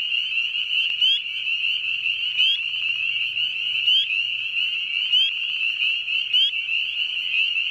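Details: Nighttime frog or toad chorus, a constant shrill trill with sharp upswept chirps recurring roughly every second and a faint low hum beneath.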